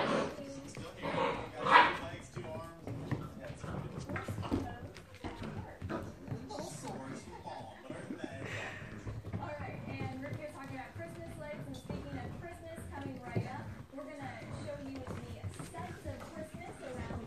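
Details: Six-week-old Great Dane puppies whimper and yip in high, wavering cries, with people talking over them.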